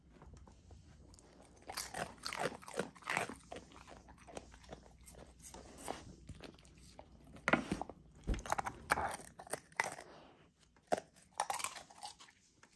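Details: Raw frozen dinner being chewed by a female Golden Retriever puppy indoors: uneven clusters of loud crunches and slurping smacks with short quiet gaps between, steady faint room hum beneath.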